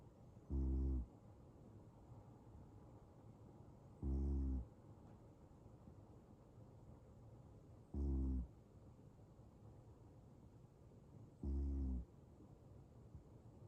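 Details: Male Ragdoll cat snoring in deep sleep: four short, low, buzzy snores spaced about every three and a half seconds, quiet between.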